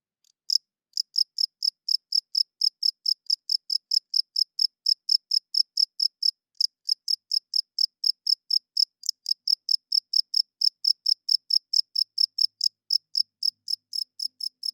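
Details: After a moment of silence, a cricket at night launches into rapid, shrill chirping, short high bursts packed closely together, continuing almost without pause; nothing else is heard.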